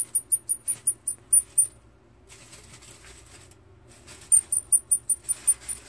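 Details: Baby long-eared hedgehog, separated from its mother, calling for her. Thin, very high whistled peeps come in a quick run of about eight, then a pause with soft rustling, then another similar run.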